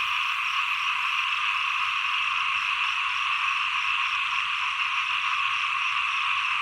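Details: Small frogs calling at the end of the rainy season and start of the cold season: a dense, unbroken, rasping chorus of many overlapping callers, steady throughout.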